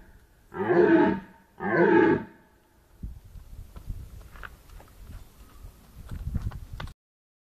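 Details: Red deer held at Stara Zagora Zoo on 20 September 2011 gives two loud, rasping roars about a second apart, each deep and harmonic-rich, followed by low rumbling background and scattered knocks.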